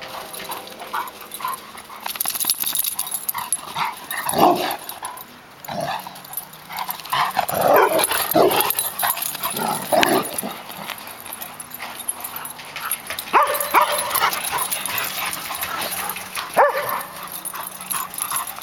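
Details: Two Labrador Retrievers playing: an exuberant 8-month-old black Lab pup and a yellow Lab that growls to tell him off, then starts chase games. Loud, irregular bursts of barking and yipping come in clusters, with scuffling and background noise between them.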